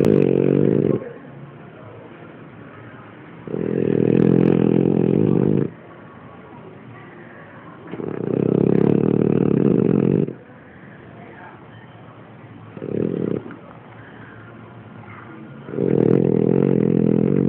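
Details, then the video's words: Kina, a French bulldog, snores in long, loud, low rattling bursts about two seconds each, one short, five in all, spaced roughly every four to five seconds with quiet breathing between. "bulldog frances roncando kina"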